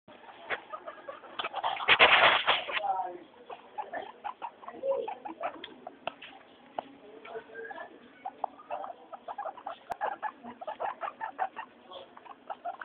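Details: Three pet guinea pigs, Mayumi, Archie and Miyuki, during their weekly floor time. A loud, high, harmonic wheek squeal bursts out near two seconds, then gives way to quick, scattered chirps and soft chattering clicks.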